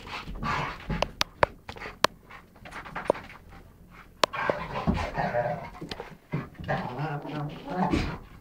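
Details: Rhodesian ridgeback and chocolate labrador romping in a game indoors, November 2011; scattered sharp clicks and thumps, then rough growling pants swelling in the second half.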